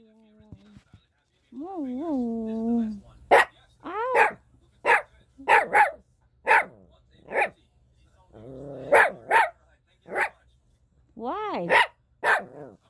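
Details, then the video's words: Four-month-old Toy Poodle puppy giving arched, whining cries followed by a run of sharp, high yelping barks roughly every half second to a second, with a person's voice mixed in. "Toy Poodle @ 4 months Old"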